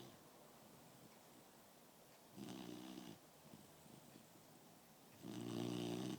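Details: Smokez the dog snores while asleep, giving two deep, rattling snores about three seconds apart, each under a second long, with soft breathing in the quiet gaps of a small room.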